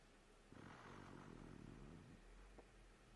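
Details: Fedya, a raccoon, snoring: one long, low, rasping exhale of about a second and a half, then quiet breathing.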